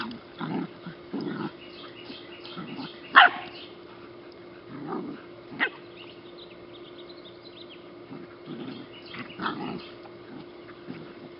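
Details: Rescue puppies playing outside give scattered short, low barks and yips. A steady hum and background noise run underneath, and a sharp louder yelp comes early on.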